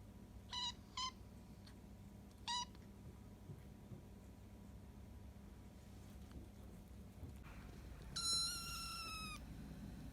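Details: Hungry young kitten, rescued after being abandoned in late September, calling for food. A few brief chirpy mews open, then a pause, then one long, drawn-out, slightly falling meow near the end.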